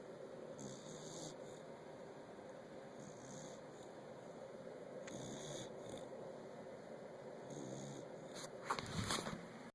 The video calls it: Our corgi, Cory snoring!